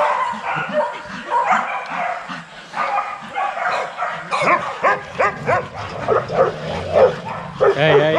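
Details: Kennel-kept young Rottweilers in an exercise yard, scattered barking at first that turns into clearer, louder single barks roughly every half second toward the end, other dogs barking behind.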